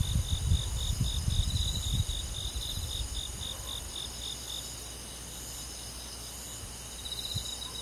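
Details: Crickets on a summer night in a rural forest, thin high chirps pulsing in steady trains after a low rumble in the first two seconds fades away.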